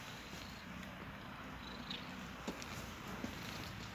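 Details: Pair of cats snuggling close; a continuous soft purring drone with a grainy throb, punctuated by a couple of tiny taps.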